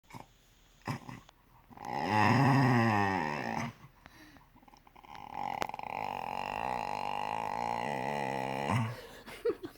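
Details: Pet cocker spaniel making a drawn-out, croaking groan likened to a horror-film sound effect; a rough, harmonic moan swells and fades, followed by a longer steady wavering groan, then a person asks what he is saying.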